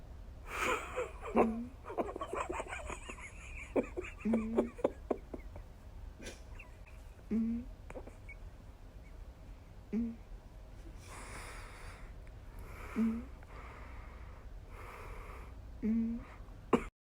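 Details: Sleeping cat snoring with sounds like little farts: short, nasal puffing snorts recur about every three seconds, broken by bursts of human laughter in the background.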